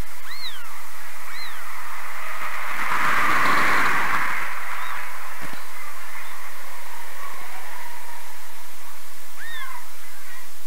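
Newborn kittens give thin, high, rising-and-falling mews, with a burst of broad rustling noise in between.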